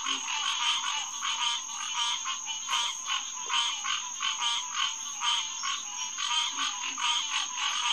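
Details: Green tree frogs, Hyla cinerea, chorusing at night on June 2, 2021, at Headquarters Pond, SMNWR: a dense overlapping din of nasal, honking calls pulsing roughly once a second, with faint low grunts beneath.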